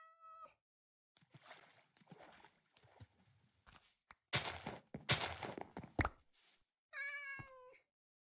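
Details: Persian cat delivered to Vietnam, reaching Hanoi after a long journey: a clipped meow opens, then a stretch of rustling, knocking and handling noise, and a second drawn-out meow at the end that falls slightly in pitch.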